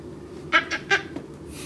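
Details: Maltese puppy chewing on a rug indoors in Illinois, giving three quick, short high yips in a row, with faint room noise and a person nearby.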